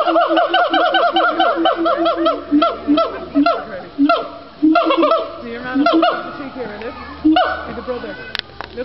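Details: A family of gibbons, including a baby, sings together in Fota Island Wildlife Park, Cork, Ireland: a chorus of rapid, hooting notes that swoop up and down and quicken in bursts.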